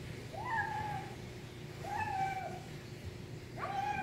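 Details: Kitten voicing cute nom nom noises as it eats, three clear, harmonic mews, each rising briefly then held and dropping slightly, spaced about one and a half seconds apart, with a constant low hum behind.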